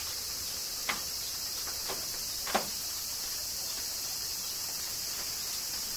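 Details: Kyoto cicadas during summer rain, Japan: an unbroken shrill buzzing wash fills the background, with two or three distinct drop-like clicks in the first three seconds.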